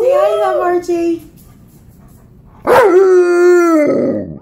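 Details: Alaskan Malamute at home howling along with a howling four-year-old child: a wavering howl, a short quiet gap, then a second long howl that starts with a sharp upward yelp and holds a steady, slightly falling tone.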